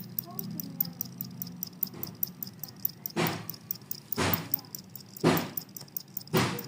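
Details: Jangkrik kalung (two-spotted cricket) chirping on amid surrounding commotion. An evenly repeated high, shrill pulse train continues, with several loud broadband thumps and a low droning hum.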